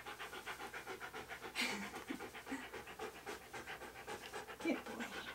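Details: Husky called Key being posed for photos in hats and other clothing, panting fast and regularly, roughly four breaths a second, with a couple of small clicks and rustles in between.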